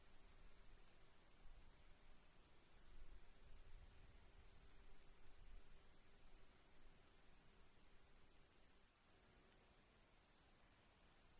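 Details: Crickets give regular, high, ticking chirps roughly three each second, broken by a brief gap near the middle, over a persistent shrill drone and soft low background noise.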